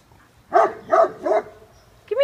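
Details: A Great Pyrenees reacting to a large raccoon scaling a wooden fence in early morning daylight: three loud, deep barks in quick succession, followed by the start of a person's voice.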